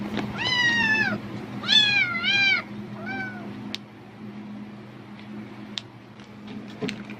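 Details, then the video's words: A cat, excited by the sound of a plastic bag and seemingly thinking food is coming, gives three insistent meows in quick succession, the middle one longest and wavering, followed by quieter faint clicks and a low background hum. "비닐봉지 소리에 폭발적 반응하는 고양이 울음소리(Cat sounds in response to the sound of plastic bags)"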